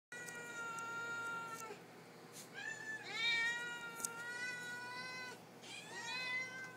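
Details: Several pet cats meowing for their supper, asking for food: long, drawn-out harmonic meows, some rising then falling, one after another with brief pauses, a person speaking softly afterward.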